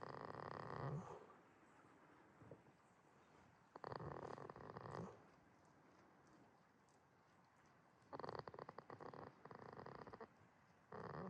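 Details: Asleep at Yoshigake farm in Himi, Toyama, Japan, on 11 March 2026, the goat Jitta snores steadily: coarse, vibrating breaths of about a second, repeating roughly every four seconds over a quiet background.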